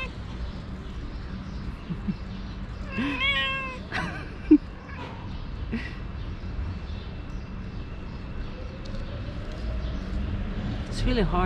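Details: A house cat mother turning away her four naughty kittens from nursing. Clear meows come in a quick pair near the start, followed by quiet shuffling and a final faint rising mew, with low background hum.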